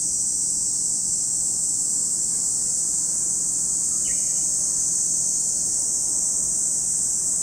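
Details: Constant piercing buzz of cicadas beside Lake Kamo, Sado City, Niigata Prefecture, Japan; the shrill band holds level from start to finish while a single short bird note breaks in around the fourth second.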